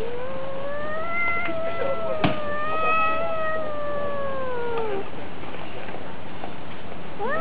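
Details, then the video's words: Cat confronting another cat in a fight, holding a single sustained yowl for about four seconds that swells slightly then sags downward at its end, followed by a short rising cry. "Драка Котов. Кот против Кота | Cats Fight video Cat vs Cat"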